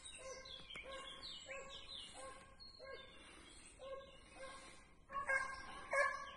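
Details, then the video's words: Segugio hound in training on hare, giving distant, repeated harmonic baying cries about once a second amid outdoor ambience, with bird chirps mixed in; the voice grows louder and clearer near the end. "segugio in addestramento su lepre"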